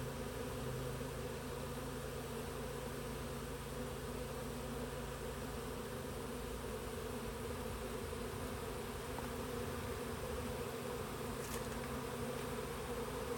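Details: A Western honey bee swarm moving into a south-facing Warré hive by a blackberry hedge gives a dense, steady, droning hum on a mild mid-afternoon, June 23, 2025, Olympic Peninsula, Pacific Northwest, USA.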